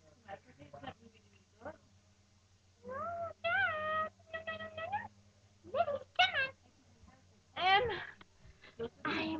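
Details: Lhasa Apso puppies indoors: repeated high, bending whines and whimpers in short bursts, some rising sharply, mixed with a woman's voice speaking to them.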